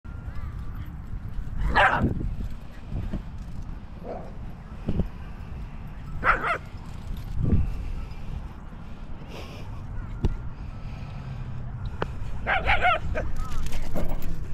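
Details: An Italian Greyhound at a dog park during zoomies lets out scattered high, sharp yips and barks spaced several seconds apart, over heavy low rumble from wind and handling and faint background voices.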